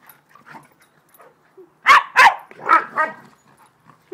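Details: Two dogs playing together; a burst of four loud, rough barks around the middle, the first two close together, then quieter snuffles and small vocal sounds before and after.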